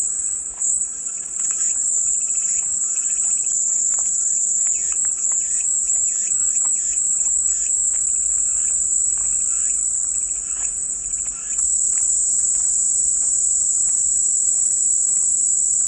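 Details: Unbroken shrill cicada drone holding one high pitch throughout, its texture wavering slightly midway, while soft scattered clicks and chirps sound far beneath.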